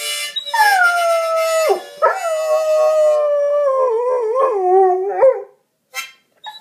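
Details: Howling Goldendoodle accompanying a poorly played harmonica: drawn-out descending howls with a brief break, then wavering, slightly yodelling tones that drop at the end, followed by short faint yips.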